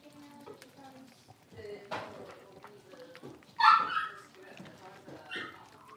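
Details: Blenheim Cavalier King Charles Spaniel puppies, five littermates born on New Year's, playing in their puppy pen; one loud, high yip stands out among soft rustling and scattered small puppy noises.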